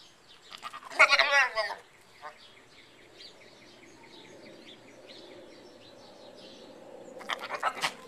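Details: Young pygmy goat giving a shaky, wavering bleat of under a second near the start, then a long quiet stretch of soft low murmur before a burst of human voices at the end.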